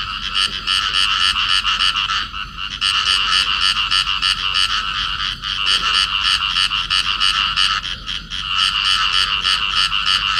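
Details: Rasping, nasal croaks from a clasped pair of field frogs, pulsing rapidly at about three per second in long bursts, briefly dipping in loudness a few times between runs.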